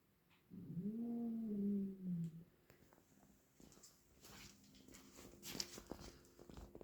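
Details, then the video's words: Domestic cat, one of twins, making an odd call while playing with a toy mouse indoors: a single drawn-out, slightly wavering harmonic cry lasting about two seconds, followed by soft clicks and light handling noises. "Twin cat makes weird sounds while playing with toy mouse"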